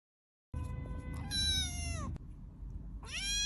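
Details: A cat lets out a long meow that slides downward at its close, then a short pause and the start of another rising meow, over steady low rumbling noise.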